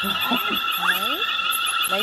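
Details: Fight to the death between hyenas: short rising squeaky sweeps, one climbing sharply, several thin upward-bending cries, set against a continuous tonal hum.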